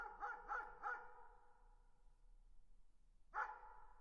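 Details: Three rapid barks from a distant dog, reverberant and hollow-sounding, followed after a short lull by a single louder bark with a long fading tail.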